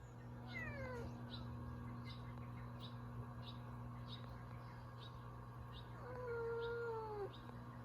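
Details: Two-year-old female Bengal and one-year-old female tabby playing in a countryside garden before rain, with a cat voice giving a falling meow and then a longer drawn-out meow, over a steady low hum and faint repeated ticking.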